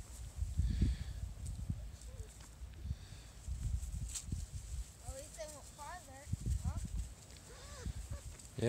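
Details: Jig's litter of five-week-old Small Munsterlander puppies at Gosch Kennels, outdoors. Several high, wavering whines and squeaky yelps cluster in the second half, over footsteps, rustling and a man talking.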